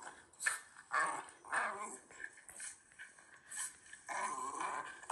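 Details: Shiba Inu Ranmaru resting on a sofa after a sunny-day walk, watching footage of himself running wild in the rain, described as laughing bashfully; short harmonic grumbles and huffs come in bursts about once a second, with faint voices and a small indoor room sound.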